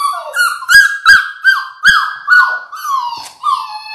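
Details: A six-week-old Labrador Retriever puppy from a litter of six, filmed indoors on a live puppy cam, squealing in loud, high, slightly wavering cries that dip at each end, about three a second, with soft taps between.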